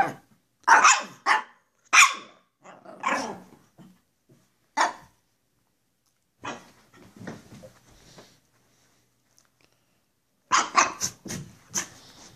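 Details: Goofing for the camera, two Pekapoms named Stella and Moose bark in quick bright yaps, fade to soft growly grumbles midway, then burst into a fast volley of barks at the close.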